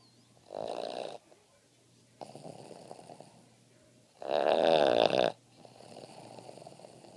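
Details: Boston Terrier. A sleeping Boston Terrier gives heavy, raspy snores, each a rough rattling breath lasting about a second. Quieter, wheezy exhales fill the gaps between the louder snores.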